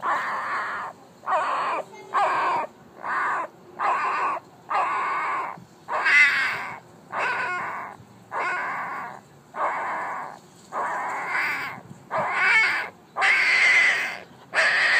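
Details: A one-week-old female Alaskan Malamute puppy, very vocal for her age, gives a run of short, squealing cries, one roughly every second.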